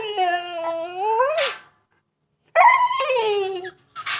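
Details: Female dog whining in frustration at being unable to get to water she likes to bite at; two drawn-out, high, nasal whines, each sliding up and ending in a sharp breathy yelp, separated by a second of silence.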